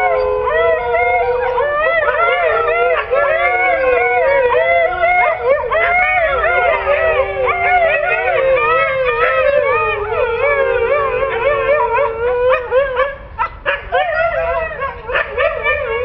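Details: Pet Siberian Husky giving a long run of varied, yodelling howls and talkative whines that rise, fall and wobble quickly, the notes crowding together before choppier, broken calls near the end.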